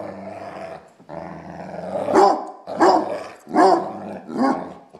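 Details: A Basset Hound at play gives deep, rough barks and growly rumbles, about one every second.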